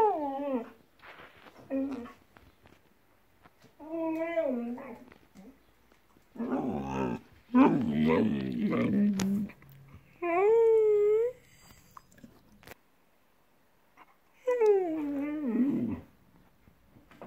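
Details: Siberian Husky indoors in a small room, vocalizing in drawn-out, wavering, talk-like moans and whines. Five separate bouts are broken by pauses, and some rise and fall in pitch. There is one rougher, growly passage in the middle.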